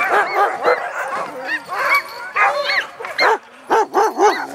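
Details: A little dog in a dog yard giving a strange noise: bursts of high, arching yips and short barks, roughly two per second in uneven clusters, with brief pauses between.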